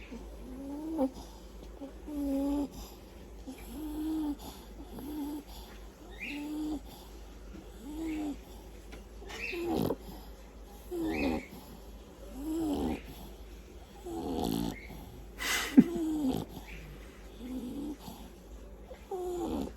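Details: French Bulldog snoring: soft, low, buzzy snores repeating roughly every second and a half, with faint clicks and rustling between breaths.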